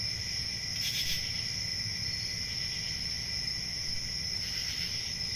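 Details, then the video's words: Summer-night crickets fill the air with steady, overlapping high-pitched trills, swelling briefly around one second and again near four and a half seconds, above a soft low-frequency hum. "Relaxing Cricket Sounds For Sleep Ambient Summer Night"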